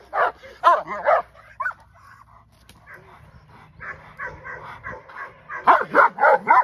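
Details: Female English Mastiff Aries in a first training session: a burst of loud barks, a softer stretch of low yips, then a final loud flurry of barks.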